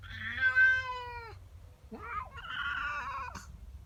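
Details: A house cat, female, protests a neighbour cat intruding in her garden in the morning. A loud, slightly falling wail breaks off, then a harsher, strained, rising-and-falling growling yowl follows.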